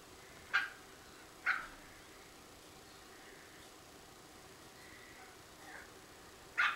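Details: Coton de Tulear dogs playing in a garden, a few sharp high yaps spaced about a second apart, then a pause with faint whines before another yap, over steady outdoor hiss.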